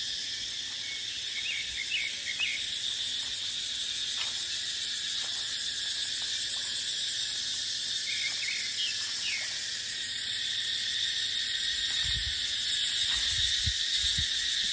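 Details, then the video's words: Cicadas droning in dipterocarp forest during the dry season, a constant high buzzing with a fast pulse, with small chirping birds at intervals and low wind gusts rumbling toward the end. "เสียงจั๊กจั่น สายลม ในป่าเต็งรังยามหน้าแล้ง"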